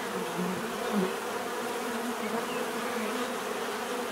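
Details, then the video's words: Bees give a steady, dense hum of many overlapping wingbeats with bands near 250 and 500, plus a few louder buzzes passing close in the first second. "bees therapy relaxing natural buzzing sound"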